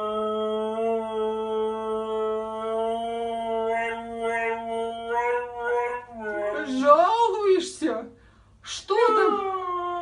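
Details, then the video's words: Siberian Husky, one of several crazy, hyperactive husky dogs, holds a long steady howl for about six seconds, then breaks into wavering, rising and falling yowls with short gaps. "Husky dogs Crazy and Hyperactive"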